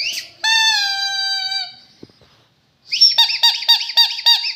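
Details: Rottweiler with a long, steady, high-pitched whine lasting over a second, a brief pause, then a quick series of short arched yelping whimpers, about four per second.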